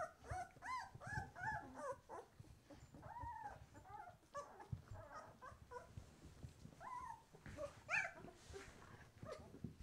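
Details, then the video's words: Twelve-day-old White Swiss Shepherd puppies, just opening their eyes, indoors: a busy chorus of high, wavering whimpers and squeals from several pups, short arched cries overlapping and repeated several times a second, with soft rustling beneath. "Weisse Schäferhunde Welpen - Berger Blanc Suisse - 12 Tage alt"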